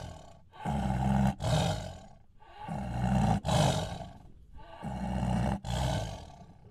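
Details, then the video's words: Tiger roars repeated three times, each a double surge of gravelly, low-pitched sound lasting about a second and a half, with quieter breathing gaps between. "tiger sounds"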